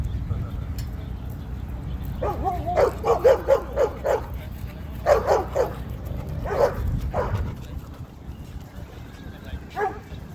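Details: Zuma, a female Cane Corso, acting as enforcer and protector while making corrections among other dogs at a dog park; harsh, rough barks come in quick clustered bursts of three to five, pausing between groups, with human voices faint underneath.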